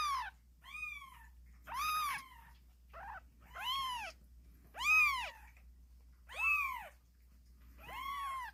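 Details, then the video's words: Several kittens meowing vigorously, loud bright arched cries coming almost without pause, about one a second, some overlapping and one short clipped meow among them, over a faint low hum. "씩씩하게 우는 새끼고양이들, 제법 고양이 소리가 나는거같죠?"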